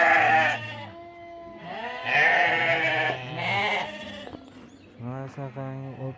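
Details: Flock of ewes and rams for sale at an Uzbek livestock market, about 700 head. Repeated loud, tremulous bleats rise and fall, some drawn out nearly two seconds, while a man speaks beneath and between them.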